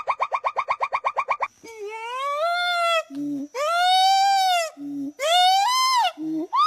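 A monkey gives a fast stuttering chatter, then long, loud, arching wails broken by short low grunts.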